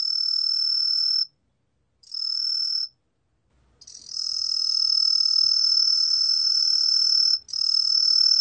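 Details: Green pine cricket singing, from the National Institute of Biological Resources in 2020. Two brief shrill trills with short silences between them, followed by one steady high-pitched trill held for over three seconds, then resuming after a tiny break.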